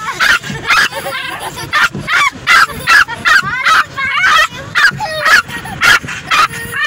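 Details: A female pet Yorkshire Terrier in a car yaps in rapid, high, sharp barks, several each second, in uneven bursts, angrily barking and howling at the moving windshield wipers.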